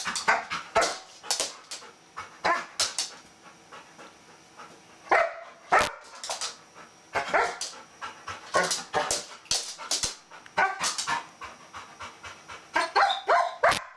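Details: Excited female Golden Retriever fixated on a bristlenose catfish, eager to play; long run of high, abrupt yelps and squeaky whines in clusters, dense at start and end with a quieter stretch between.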